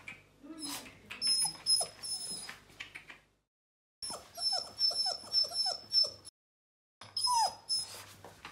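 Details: Bernese Mountain Dog puppy on its first day in a new house, getting to know the home: short falling whimpers and squeaks in small runs, broken by brief silent gaps, with a steady high electronic whine throughout.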